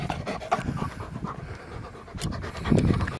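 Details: Labrador retriever panting hard after frisbee play, caught on a Panasonic Lumix TZ7: low, rapid huffing breaths in a short burst, louder toward the end, right after a man laughs that the dog beat him.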